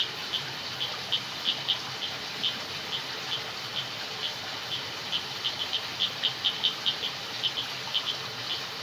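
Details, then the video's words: High, thin chirps from crickets in a jungle at night, sparser and irregular at first, then clustering into quick pulsed bursts midway, with gentle background noise. "Jungle Night Sound Effects |Frogs, Crickets,Water"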